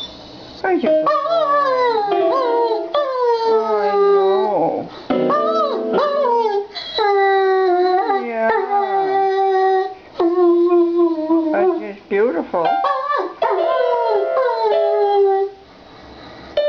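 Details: ['German Shepherd Rocky singing along with piano at home, a string of wavering howls rising and falling in pitch, some breaking into yips, with brief pauses between phrases.']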